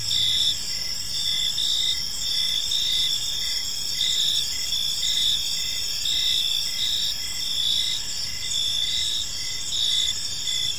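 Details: Evening park ambience of crickets: layered high-pitched chirping that holds steady throughout, with faint regular pulses lower down and a low background hum.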